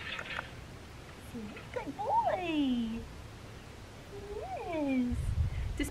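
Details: Black tri male Australian Shepherd puppy, six and a half weeks old, at a farm in Talala, Oklahoma; two drawn-out falling whines with a rising onset, separated by a pause, with a person's voice at the start.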